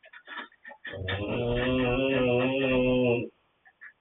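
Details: Snoring from Coman the dog: a few soft breathy puffs, then one sustained, nasal, buzzing drone holding a low steady pitch for over two seconds before fading into faint breathing.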